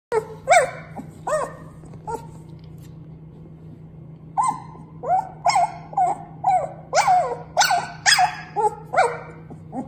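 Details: Dog barking in short sharp bursts, a loud pair early on, then after a pause a quicker run of about nine barks, rising and falling in pitch; a steady low hum runs underneath.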